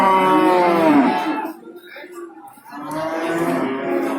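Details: Cow at the Babat livestock market, Lamongan, East Java, 29 September 2020, among cows with calves and pregnant heifers for sale: a rich, harmonic moo lasting a second and a half, a quiet gap, then another bellow rising again.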